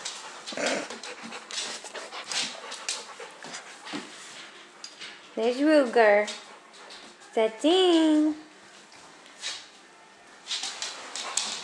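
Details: A blonde Labrador mix female, about two years old and 60 pounds, up for adoption in Troy, Illinois, gives two wavering, drawn-out whining calls amid a person's chatter and scattered indoor clicks and knocks.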